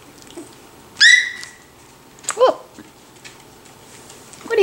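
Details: Five-week-old puppies playing while learning to interact with each other: a high whining yelp that slides downward near the one-second mark, then a shorter descending yelp about a second later, over a quiet background.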